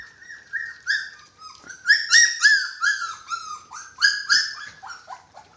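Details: Dachshund puppies six weeks old at feeding time whine in clear, high, tonal notes, some flat and some bending up or down. They come in quick irregular runs of about three or four a second, with small sharp clicks between.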